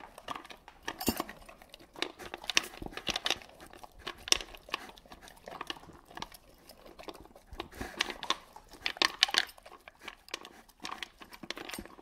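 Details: A pet dog gulps dry food whole, unchewed, inside a small room; bright, scattered clatter and tapping, like kibble knocking against a bowl, comes in rapid uneven bunches with brief quieter gaps.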